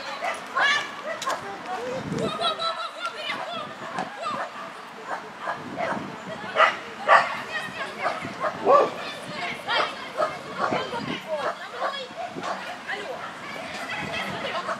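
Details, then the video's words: Russian Toy barking on an A3 agility course: a long run of quick, high-pitched yaps scattered among continuous human voices and commands, with occasional thumps of movement. "Аджилити. Русский той. Трасса А3."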